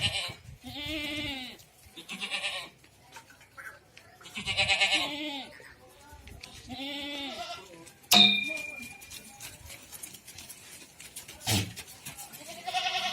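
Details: Goats on a farm in Ajmer, Rajasthan, bleating loudly in wavering, nasal cries of about a second each, four bleats in the first eight seconds, followed by clicks, a short whistle and handling noises.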